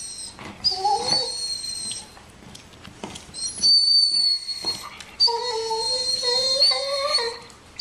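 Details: Nico the dog whines over Bandit's bone: shrill, sustained squeals plus a few short, lower whimpers. A run of stepped, wavering moans comes near the end.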